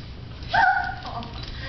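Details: Cavalier King Charles Spaniel puppy, very excited to see her Sheltie buddy, gives a single short high whine that rises then slides down, with a woman talking before and after.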